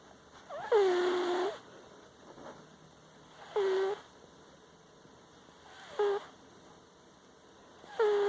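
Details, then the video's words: Kittles, a pet cat, asleep in a living room, snoring with an unusual squeaky sound: short high, nasal whines with a slight upward bend, each lasting about half a second to a second, repeating roughly every two and a half seconds over a quiet room. "Sleepy Kittles is snoring!"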